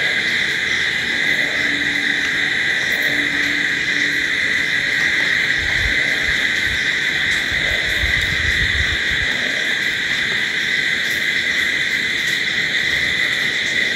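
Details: A nighttime cricket chorus rings steadily and high-pitched throughout. Brief faint low tones and soft low rumbles or thumps appear in the middle.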